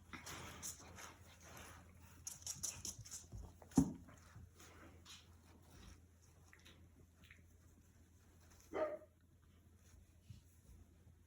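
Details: Corgi puppies playing together in their pen: two brief, high, whining yelps stand apart, one early and one later, over a quiet background of faint rustling, scratching and a low steady hum.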